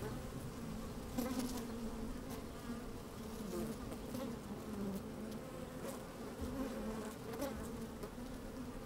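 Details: Honey bees busy at work inside an open hive on a fine, sunny day, microphone slid down among them: a steady droning hum around 200-250 pitch band with wavering overtones, brief louder buzzes near the second and seventh seconds, some clicks.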